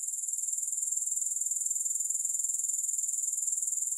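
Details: Continuous shrill grasshopper chirring, quick regular pulses at a high, unchanging pitch running throughout, with no music or other sounds.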